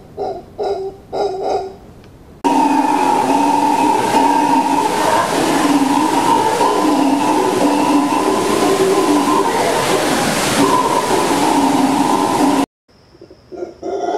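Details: Howler monkey. A few short, throaty grunts lead into a sustained roaring chorus of howler monkeys. The deep, droning howl holds steady and powerful for about ten seconds before cutting off abruptly.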